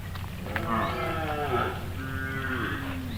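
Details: Cattle in a forest, part of a large herd still scattered behind and calling to each other as they wade through deep water, give two long, drawn-out moos with rich harmonics, the second lower and steadier, over low rumble.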